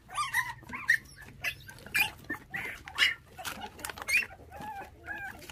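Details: Bottle-fed puppy from a litter of five orphaned at six days old after thieves took their mother; high, thin squeaky chirps repeated about once a second, with sucking and handling noises around them.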